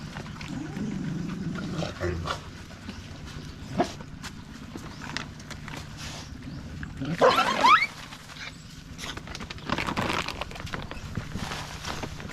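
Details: A stray dog gives a single loud, rough yelping bark about seven seconds in, preceded by softer low grumbling sounds, over a steady low hum and scattered faint clicks.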